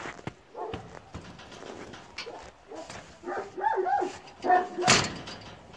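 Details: Kangal puppies, a run of high wavering whimpers and squeals growing louder toward the end, with clicks and a person speaking Turkish softly.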